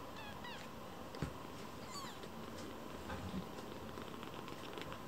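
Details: Foster kittens, including one named Hatch, quarreling and competing for attention soon after meeting; a few thin, high mews with wavering, rising and falling tones appear around the first and second seconds over a steady hiss, then scattered soft thumps.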